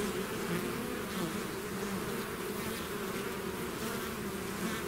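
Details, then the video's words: A swarm of bees leaving its hive fills the air with a thick continuous buzz, layered low droning pitches under a grainy high hiss, steady and unvarying from start to finish. "bees therapy swarm natural buzzing sound"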